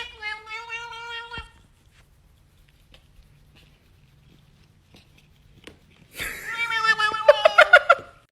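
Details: A pet cat indoors gives a steady, drawn-out meow lasting over a second. After a quiet gap comes a louder, wavering, strained yowl with a pulsing, throbbing end.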